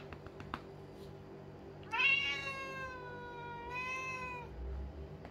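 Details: A male blue-eyed lynx point Siamese cat gives one loud, drawn-out meow that rises, holds, then sags slightly, complaining when his owner stops tapping his rump.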